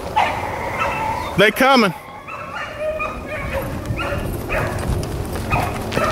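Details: Rabbit-running hounds, Blackcreeks and Blueticks, April 4, 2013: a loud, wavering, bawling bay with strong harmonics midway, surrounded by quieter overlapping yelps and barks from the pack in noisy open country.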